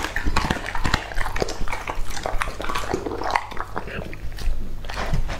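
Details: Lucky, a two-and-a-half-year-old male English-type Labrador Retriever, eating raw meat indoors. Wet chewing and crunching bites come in quick irregular bursts, with a low steady hum beneath.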